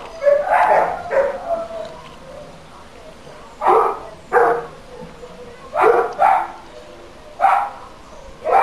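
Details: Nuisance barking from a dog, recorded for council noise monitoring: sharp barks in pairs and clusters, bursts around one second, four second and six second marks, separated by quieter gaps with a low background hum.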